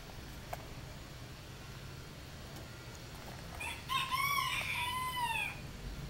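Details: American Shorthair cat on a Wednesday afternoon gives a single drawn-out, harmonic-rich meow lasting about a second and a half after a quiet stretch, wavering slightly and falling at the end.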